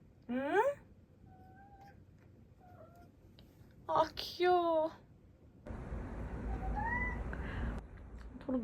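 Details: Ten-month-old male British Shorthair Toro, dieting indoors: a short rising meow, then a pair of loud wavering meows mid-clip, with soft tonal squeaks, a woman talking and household clatter.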